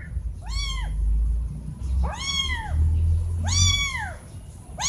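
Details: Loud kitten meows directed at their mother by two young cats wanting something like food: three drawn-out, arching cries with strong harmonics, about one and a half seconds apart, over low background noise.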